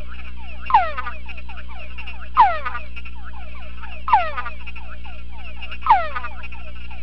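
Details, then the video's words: A male túngara frog in a sound-proof box gives short downward-sweeping whines in an evoked vocal response test, answering a túngara chorus played through a speaker. "tungara frog in evoked vocal response test"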